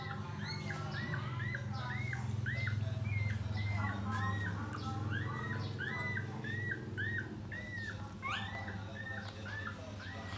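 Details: Four puppies being fed and cleaned by their mother; a long, even series of short high squeaks, roughly two per second, over heavy low rumbling background noise.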